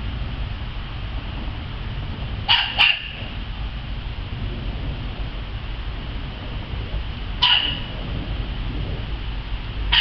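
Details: Playful dog out in the yard, letting out a quick pair of sharp barks, then single barks several seconds apart, against a constant low rumble.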